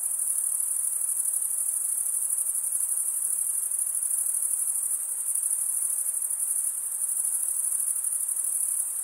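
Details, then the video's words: Stridulating crickets keep up a seamless, very high ringing trill, dense and constant in level, with only a faint low hiss beneath and nothing else audible. "Most relaxing cricket sound"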